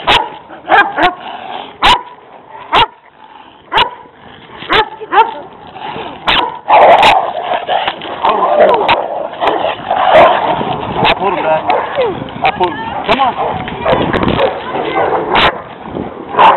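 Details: Pet Rottweiler on a walk, restrained on slack, confronted by two stray aggressive dogs in their territory: sharp repeated barks and snarls in a tense fight over a chaotic background.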